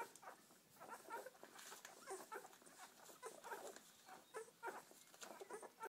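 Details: Seven English Springer Spaniel puppies feeding from their mother; soft, rapid suckling and smacking noises with faint squeaks, repeated roughly once a second, close and quiet.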